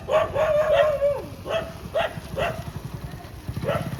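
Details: Street dogs in Molachur village near Chennai, Tamil Nadu, recorded 19 April 2026: a drawn-out whining cry followed by short, sharp barks and yelps at irregular intervals, over a low pulsing engine-like rumble.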